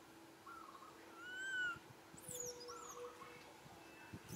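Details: Young monkey crying sadly for its mother to get milk: a few short, thin whining notes building to one louder arched wail, with brief high chirps in the background.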